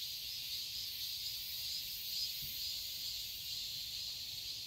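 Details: Cicadas in a summer garden in Seoul, Korea: a dense, steady high-pitched hiss-like drone with faint pulsing, continuous throughout, no other clear sounds.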